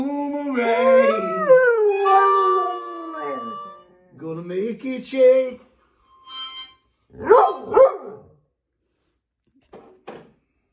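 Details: Female pet dog howling along to music: a long harmonic howl rising and wavering for about four seconds, followed by shorter broken howls and brief yips trailing into quiet.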